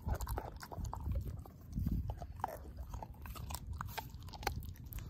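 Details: A dog named Ozzie chomps a pork steak bone to pieces, giving busy crunching with bright cracks and low thuds, strongest bite bursts at the start and near two seconds.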